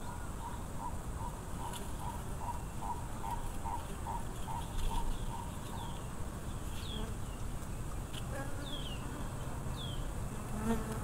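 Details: Wild honey bee swarm of Africanized bees humming low and steadily; a bird repeats quick, evenly spaced notes for the first six seconds, then high, sliding chirps and sparse calls follow over the drone.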